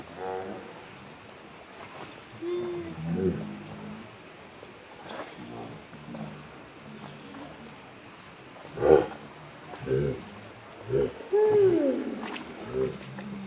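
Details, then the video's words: Baby monkey Leo, hungry and crying as it begs its mother for milk: scattered short tonal cries, with a louder arching, rising-then-falling wail near the end, over a steady noisy background with some broadband clicks. "Rainbow Very Angry Need Milk Much I Smart Cute Lovely Baby Monkey"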